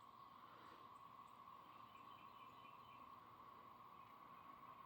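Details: A whole bunch of cicadas in Georgia woods, males calling to attract females, form a steady, droning chorus holding one even pitch, over faint background hiss.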